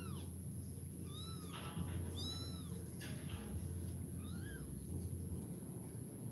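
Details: Kitten giving a run of high, arched meows, two close together then a softer one after a pause, each cry rising then falling, with a constant low hum beneath.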